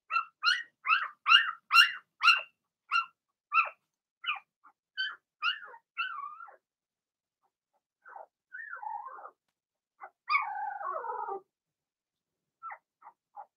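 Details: Blenheim Cavalier King Charles Spaniel puppies from Remy's first litter of six, in an indoor puppy pen: a rapid run of about a dozen high, sharp yips, then thin, drawn-out whining whimpers and a few last yelps in a quiet room.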